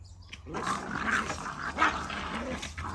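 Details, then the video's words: Puppies eating, with low growling and rumbling mixed with chewing and feeding noises, a few short throaty grumbles rising and falling over three seconds, and a steady high electrical whine in the background. "Puppies eating Dog eating"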